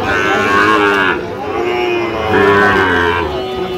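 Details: Market-day moos from Sahiwal bull calves at a haat, 3 October, while a farmer from Dhaka haggles over price: two hoarse, level-pitched moos of about a second each, separated by a pause, with chatter around.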